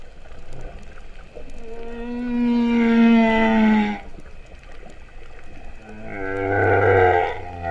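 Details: Humpback whales singing underwater at Vava'u, Kingdom of Tonga, September 2015: a sustained, clear, slightly wavering tonal whine lasting about two seconds, a quiet gap, then one deep, buzzy, moo-like moan.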